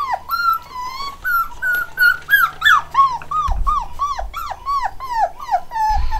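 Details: Black and white Cockapoo puppies, eight weeks old, from a new home-bred litter, whining in a rapid series of bent, falling whimpers about three a second, with a few soft thumps and low rumbles indoors.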